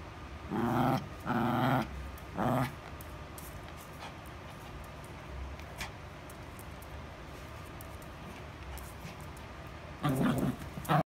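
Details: Toy poodle growling in short rumbling bursts, three in quick succession, then a long quiet stretch with faint clicks before another growl near the end.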